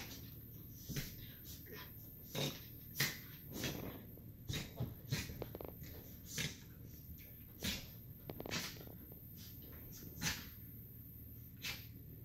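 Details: Pair of 2-year-old Miniature Schnauzers romping together indoors in the evening, giving short breathy snorts and huffs repeated roughly every second throughout, with a few scuffling noises between them.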